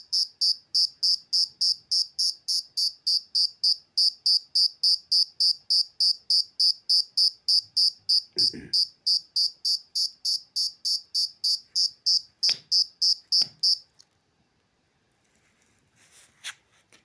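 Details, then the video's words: Insect chirping loudly and evenly about three times per second for some fourteen seconds, then stopping; a few knocks and handling noises occur during and after the calling. "Have you Been wondering how this Insect produces this sound"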